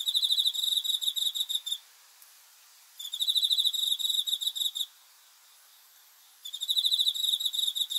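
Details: Cricket chirping after dark, bursts of quick high-pitched pulses lasting almost two seconds, spaced by short silent gaps, with faint background hiss.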